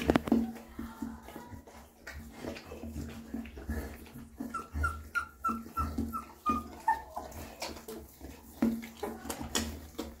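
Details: Newborn puppies being cleaned and fed by their mother dog: a run of about eight thin, high, slightly falling squeaky whimpers midway, amid wet licking and smacking sounds and a steady low hum.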